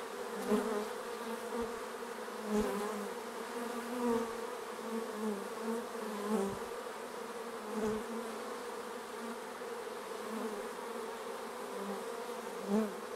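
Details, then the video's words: Continuous buzzing of a crowd of bees around the hive, a steady layered hum punctuated every second or two by brief louder swells as single bees fly close past. "Bees around the hive"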